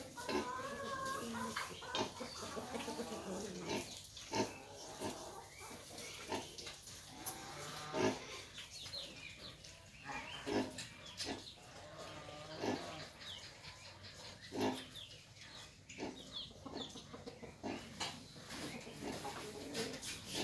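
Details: Nursing hybrid wild boar with piglets, dense chorus of rhythmic grunting and rising squeals early on, then looser grunts and snuffles repeated every second or two against low hum.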